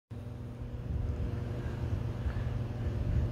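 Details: Deep continuous low rumble like a motor or wind, starting abruptly and holding steady to the end.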